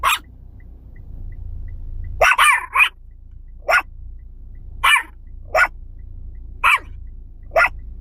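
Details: Yorkshire Terriers, the pets named Khao Niao and Som Tam, bark in short sharp bursts: an opening yap, a quick double bark near two seconds, then single barks roughly every second over a low steady hum.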